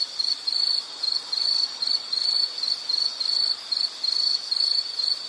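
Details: Insect chirping in a natural setting: a high, shrill trill broken into quick bursts of about a third of a second each, repeated rapidly and fairly evenly across five seconds.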